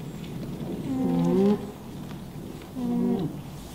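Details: Two short nasal hums from an alpaca, the first rising then swelling before stopping abruptly, the second steadier and softer, over a noisy low rumbling background.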